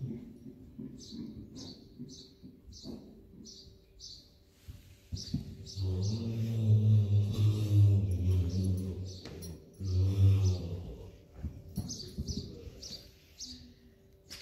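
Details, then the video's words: Friesian horse Bauke (Maurits x Rindert), playing in an indoor arena in the Netherlands, November 2019. A low, harmonic, droning vocalisation lasts about three seconds, then returns briefly. Small birds chirp repeatedly in the background. "Friesian Horse Bauke likes to play!"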